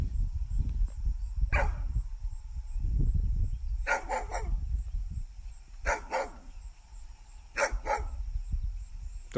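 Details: Pet dog outdoors giving single and doubled barks roughly every two seconds over a low, rumbling wind-like background.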